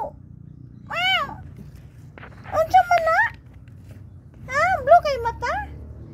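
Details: Three little kittens; about three high, arched meows, each rising then falling, spaced a second or two apart, with a low hum underneath.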